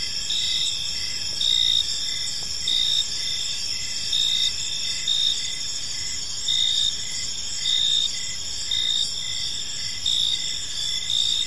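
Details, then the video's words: Many crickets call in a park at evening. A constant high, thin ringing carries steady chirps, and louder bursts swell roughly every one to one and a half seconds. "Cricket Sounds in a Peaceful Park"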